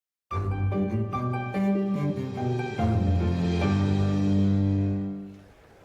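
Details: Bowed string music with deep sustained bass notes and shifting chords fills the whole passage, fading out at the end; no animal voice is heard.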